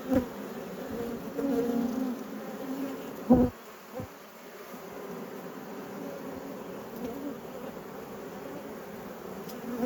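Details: Dense, even hum of honey bee colonies in an apiary at peak production, inspected by a beekeeper; the drone stays soft and constant, broken by a few sharp knocks from handling hive equipment.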